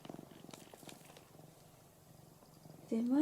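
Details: Purring from a ginger tabby cat lying on its owner's belly indoors; a soft, steady low rumble with regular pulses, ending with a sharp rising voiced sound near the close.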